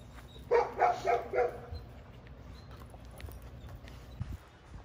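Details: Female Giant Schnauzer puppy during protection exercises gives four short, sharp barks in quick succession over about one second, then falls quiet, leaving faint room noise and a few soft knocks.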